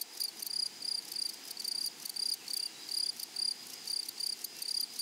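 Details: Grasshoppers in a flowery meadow or prairie: a high, hissing stridulation repeated as short rasping bursts, about two or three each second, with a steady faint insect drone behind and no other clear sounds.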